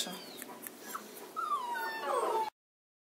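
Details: A 35-day-old Kuvasz puppy utters one drawn-out whine that starts high and slides steadily downward for about a second, over a faint background hiss, before abrupt silence.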